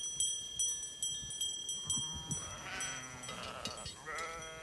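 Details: Merino sheep in a flock on a farm in Turkey: after clicking and knocking, a wavering, nasal bleat rises and falls, then a second shorter bleat follows; men talk in Turkish nearby.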